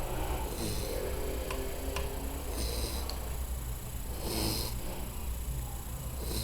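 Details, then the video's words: Mel, a pet American Staffordshire Terrier bitch, snores in her sleep; breathy rasping snores come at intervals of about two seconds, with a few faint clicks and a steady low hum. "minha cachorra Mel roncando"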